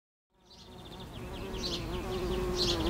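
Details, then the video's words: Carpenter bee in nature, a steady low droning buzz that swells louder over three seconds, with faint high chirping birds in the background. "l'Abeille charpentière"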